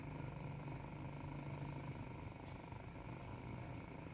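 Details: Kitten purring as it suckles, a continuous low throbbing hum that stays level, with faint higher hiss in the background.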